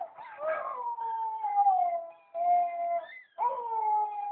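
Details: A male White German Shepherd gives long, sustained howls that slide gently downward, with brief breaks between them.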